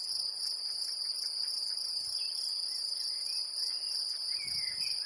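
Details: Great green bush-cricket in Brittany, France: a steady, unbroken high-pitched buzzing trill that runs through the whole recording, with a few faint bird chirps over it.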